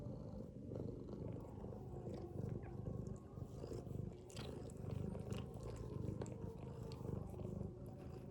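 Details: Sleeping mother domestic cat with her kittens, snoring in a low throaty rumble that rises and falls in regular breath-length waves, with light scratchy ticks in the background.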